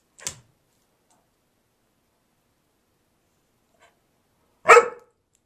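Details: Gracie, an 11-year-old husky mix dog, barking at nothing during one of her wacky spells: a short sharp click near the start, then a single loud, harsh bark after a long silence.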